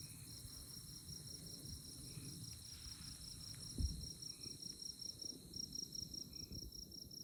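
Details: Insects chirping on a moonlit night in tallgrass prairie at Konza Prairie Biological Station near Manhattan, Kansas: a steady, high, rapidly pulsed trill with brief pauses, a few faint lower notes, and low wind rumble with one soft thump.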